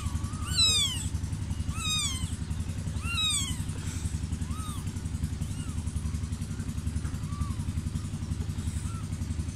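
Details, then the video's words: A crying cat gives three loud, clear meows about every one and a half seconds, then softer, shorter mews fading away, set against a heavy, steady motor drone. "cat cry"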